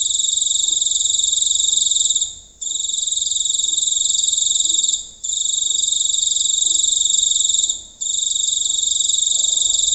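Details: Giant cricket at night in a rural village, heard from close range: an intense, unbroken metallic trill lasting about two to three seconds at a time, with three brief breaks.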